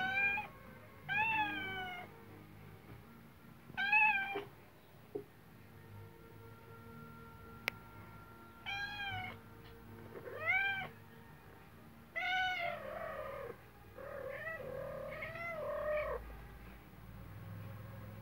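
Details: Cat and kitten at play indoors: a run of short, arched meows, some single and some in quick pairs, scattered across the stretch with quiet pauses between them, over a low background hum.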